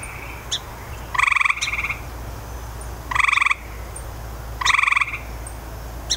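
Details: Grey tree frog calling: three short trilled bursts, each a fast train of pulses lasting about half a second, spaced roughly every one and a half to two seconds, with faint higher chirps between and a steady low hum beneath.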